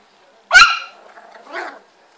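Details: Spitz puppy; one sharp, high yelping bark followed by a softer, shorter second yelp about a second later, in an otherwise quiet room.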